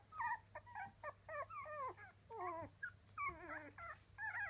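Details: A litter of three-week-old Miniature Dachshund puppies cries in overlapping, warbling whines, some sliding downward and others trembling, close and loud, with a constant low electrical hum behind.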